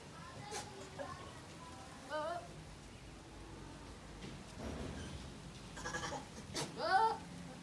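Male goats bleat in short, quavering bursts with rough, wavering tones.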